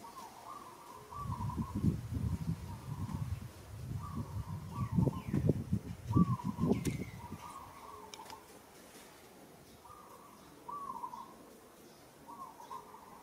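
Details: Roughly handled by another monkey in Kampong Cham Province, Cambodia, a struggling monkey gives a series of short, wavering, whistled calls, about one per second, over heavy thumping and rustling handling noise that fades midway.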